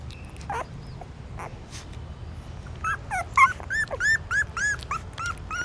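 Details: Newborn puppies suckling their mother's milk in a pagoda stupa in Siem Reap, Cambodia; a few faint squeaks and clicks, then a run of high, arched whimpers repeated rapidly over steady low background hum.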